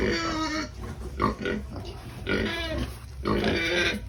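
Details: Pigs at feeding time, noisy and excited: harmonic squeals and grunts in bursts about every second, with broadband squealing rising and falling between short quieter gaps.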